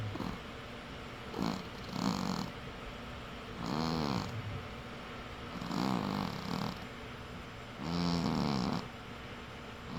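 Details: Snoring from a sleeping cat: short nasal rasps alternate with longer buzzing breaths, about five snores spread over ten seconds, uneven in length.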